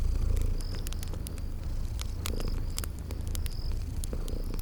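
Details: Low, even purring of sleeping kitties under frequent loud fireplace crackles, with a few short high-pitched chirps sounding over the spring garden ambience.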